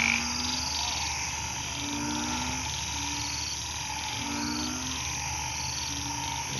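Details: Narrow-mouthed toads and frogs, hidden in overgrown grass in a hospital garden plot after rain, call in a loud chorus with low, drawn-out moaning notes repeated every second or two.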